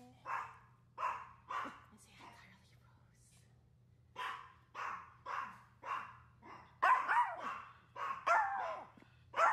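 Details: Female Maltese named Dolce on a hot summer day, giving a series of short, clipped barks at a fairly steady pace, roughly one per second. Human voices mix in toward the end.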